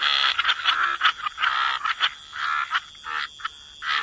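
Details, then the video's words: Croaking frogs at a wetland waterside: rough, rasping croaks come in uneven bursts, some long and some short, with a faint steady high tone behind them and short quiet gaps between calls. "Relax to the Sound of Croaking Frogs"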